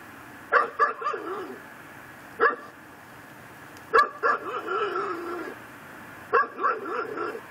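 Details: Yard pit bull tied to a post in Chalmette, Louisiana, barking around midnight on December 24, 2012: rapid clusters of two to four rough barks, some trailing into a drawn-out whining bark, with short gaps between clusters.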